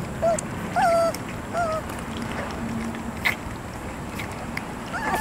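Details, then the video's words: Three-week-old puppies making short high whimpers and squeaks, a few rising and falling whines near the start, then scattered yelps at the end over steady low background noise. "Puppy Mush!"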